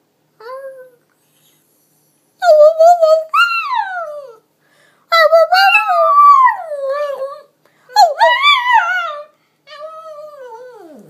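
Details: Princess, a Pekingese in a bow tie, singing indoors: a string of drawn-out, wavering howls, each sliding up and then falling, delivered in four or five phrases separated by short silences in a small room.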